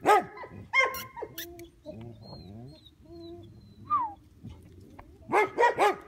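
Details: Pointer puppy offered for adoption: a few sharp, high yelping barks at the start, then quieter whines over background music, and a final run of three quick barks.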